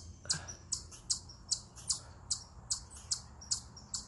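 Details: Eastern chipmunk perched on a rock giving a stress call: a steady run of short, piercing high-pitched chips, roughly two per second, evenly spaced over a quiet low rumble.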